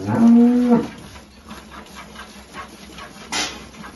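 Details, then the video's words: A Holstein cow with a calf, at milking on a farm in El Salvador, lets out a single short, flat, low moo at the start, then a quiet stretch with a sharp clatter near the end. "Vacas Holstein con Cria Ordeño"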